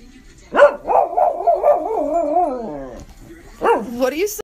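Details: Pet schnauzer singing: a long, quavering howl that rises, then wobbles up and down for about two seconds before fading, followed by a shorter yowling howl.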